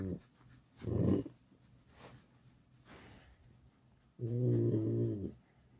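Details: Alice, a pet fox kept at home, complains while being stroked indoors: two low, harsh, growling bursts with stacked harmonics, one short near the first second and a longer, steadier one a few seconds later, with quiet room noise between.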